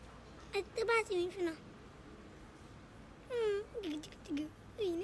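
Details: Abandoned kitten, rescued after two days freezing in snow at -11°C, gives plaintive meows that start high and slide downward. About six calls come in two bursts with a quiet pause between them.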